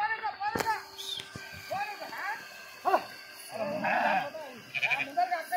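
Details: A flock of sheep while swimming gives many overlapping, wavering bleats at varied pitches, some short and some drawn out, with people talking and shouting close by throughout.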